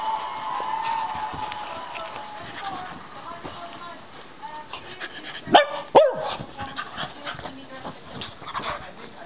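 A Yorkshire Terrier gives two quick, high yips in close succession against a steady background hiss.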